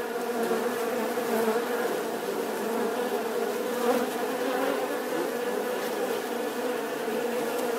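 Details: A bee's unbroken humming drone, its pitch steady and harmonics stacked above the low tone, swelling slightly near the middle and otherwise constant in volume.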